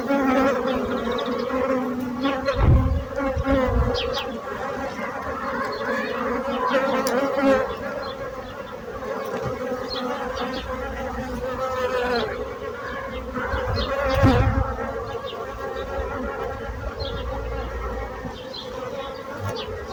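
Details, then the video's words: Bees buzzing in a sustained, wavering drone over twenty seconds, broken by a few dull low thumps. "So brutzit abelles - Bees sound - Bees buzzing sound effect"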